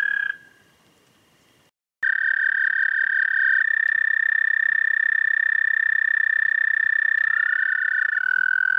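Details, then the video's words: Toad singing at night, 11:13 p.m. on 30 May 2014: a long, steady, high musical trill, briefly broken by a pause, then resuming; near the end a second trill slides upward and overlaps slightly lower. "Have You Ever Heard a Toad Sing?"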